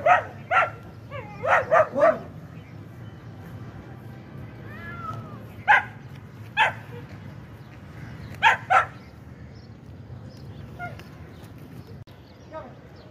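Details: Kohati Gultair dog barking in short, sharp bursts: a quick run of four barks in the first two seconds, then single and paired barks near six and eight and a half seconds, over a steady low rumbling background.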